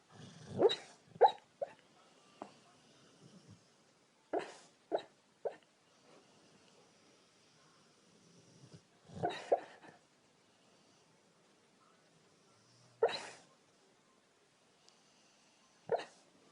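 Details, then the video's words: Female Rottweiler dreaming while asleep: soft, irregular huffs, muffled whimpers and short snorting puffs come in small clusters with quiet pauses between them. "Rottweiler hembra, Soñando y Roncando"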